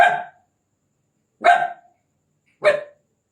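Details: Indian desi puppy at night, giving three sharp, bright barks spaced a little over a second apart, each short and clipped, with silence between them.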